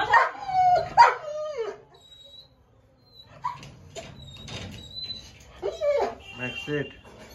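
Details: German Shepherd named Max, eight months old, during a winter body massage with coconut oil; high whining whimpers with falling pitch, a few short yelps, and a person speaking in between.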